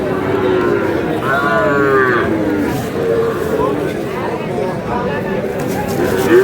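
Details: Sahiwal breed cattle at a Kurigram livestock market with bull calves on sale, 3 March: one clear, rich moo lasting about a second rises above continuous market crowd noise and voices.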